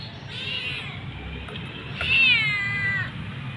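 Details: A mother cat and her kitten waiting for food while out on a walk; two drawn-out meows, the second louder with a bright, falling pitch, over low background rumble.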